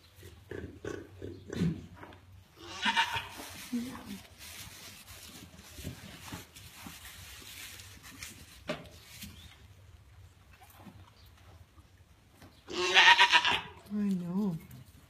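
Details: African pygmy goat doe, a grand champion, restless and uncomfortable on the morning of kidding, about 9am, hours before delivering triplets; a loud harmonic bleat near the end, with earlier softer bleats and rustling in the pen.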